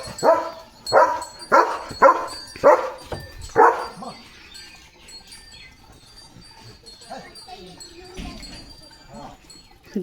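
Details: German Shepherd Leo barks at cattle going by to the fields one morning: five loud, evenly spaced barks over four seconds, then quiet as a person's voice murmurs in the background.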